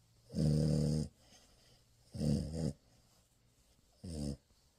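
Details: French Bulldog puppy snoring while asleep in morning cuddles: one long rattling snore, then two shorter buzzy ones, each ending abruptly, in a quiet indoor setting.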